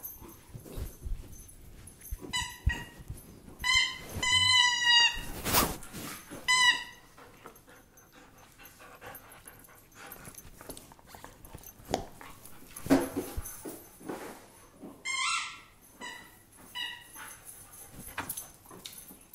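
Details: German Shepherd indoors giving high-pitched, strongly harmonic whines and yelps in short wavering bursts, clustered in the early seconds and again later, with quiet gaps and faint room sounds between.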